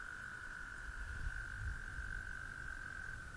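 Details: Amphibians calling at dusk in Somerset: a steady, unbroken high trilling drone holds at one pitch throughout, over low rumbling wind noise.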